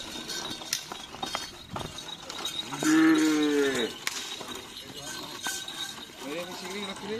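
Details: Cattle at karapan sapi bull race training, Tim Snewen and Tim Paku Alam practising at the Asemanis field, give one drawn-out, harmonic moo of about a second that bends slightly downward, amid crowd chatter, clinking and outdoor noise.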